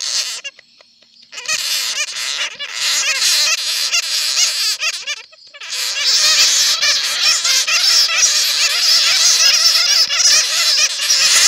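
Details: Squeaky chatter of bats caught in a net, played to attract bats: short bursts after a quiet start, then an unbroken, loud chorus of warbling, overlapping squeals from many animals.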